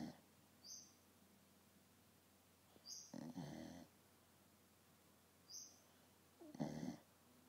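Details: Dog asleep and passed out on a couch indoors, snoring softly: quiet, irregular breathy rasps spaced a few seconds apart, with faint higher clicks in between, in a small quiet room.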